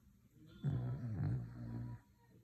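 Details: Dog snoring: a single low, rough rumbling breath lasting just over a second, wavering slightly in pitch, against a quiet background.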